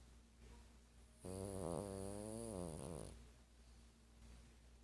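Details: Sleeping 12-year-old dog Sparky, who snores and dreams every night: one loud, drawn-out rattling snore of nearly two seconds, buzzy and wavering, rising then falling away, with a steady hum in the room.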